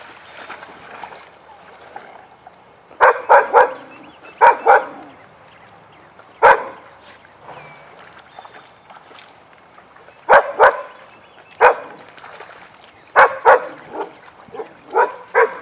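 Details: Playtime session in the den for Weizsla dogs Biscuit and Jericho, with bursts of sharp, excited barks coming in irregular clusters of two or three, separated by short pauses.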